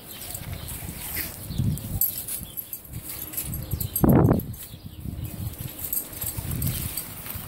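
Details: Dog, from a pair named as Blue the Great Dane and Justice the Pit; one short, harsh bark or yelp rings out near the middle, set against low rumbling movement and handling noise.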